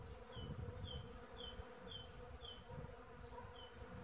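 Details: Early-season western honey bees droning in a steady, low, continuous hum. A small bird repeats thin, high two-note chirps about twice a second in the background.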